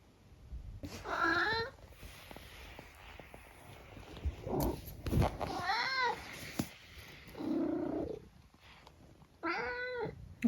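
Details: Talkative 14-year-old tabby cat living in the UK; several clear, wavering meows with rising-falling pitch, spaced a few seconds apart, one lower and more nasal, with soft indoor background noise.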